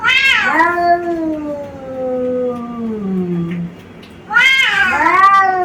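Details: Two male brother cats, white and brown, from Bangladesh, attacking each other: a long, low, wavering yowl slides slowly downward for about three seconds, then a sudden loud, harsh rising screech bursts in near the end.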